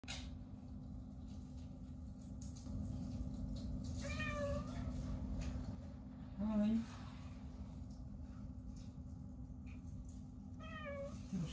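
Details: Female house cat hiding behind curtains indoors and refusing to come out, seemingly complaining. She gives three short, quiet meows spaced a few seconds apart, partly masked by a steady low room hum.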